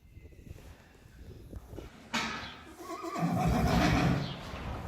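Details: Friesian horses, mares with foals a few weeks old, being turned out to the field on 4 November 2019; hoof clatter for two seconds, then a loud, quavering neigh that falls in pitch and lasts about two and a half seconds.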